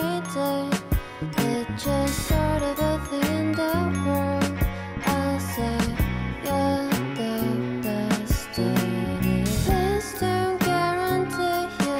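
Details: Cheerful music plays throughout, with a steady beat, bright chimes and tinkling bell-like notes.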